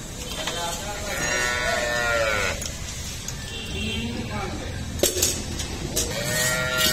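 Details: Cattle on an Indian dairy farm kept with cows and buffaloes during the workers' daily routine: a drawn-out harmonic moo of about a second and a half, then fainter lowing, with clatter and knocks of farm work around it.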